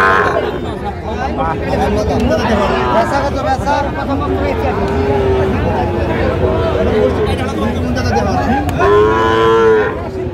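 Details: Busy cattle market in Comilla, Bangladesh, 19 April 2025, selling Sahiwal bull calves: low lowing murmurs under crowd talk, then a strong, steady moo with clear harmonics rings out near the end.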